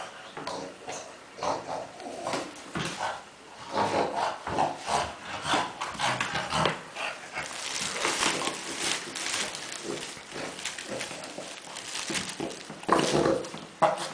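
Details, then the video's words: Kuba, a pet dog playing with tennis balls, makes pig-like grunts and snorts: short, rough, breathy bursts in irregular runs, with rubbing and scuffling noises between them. "Kuba in heaven of tennis balls making funny sounds"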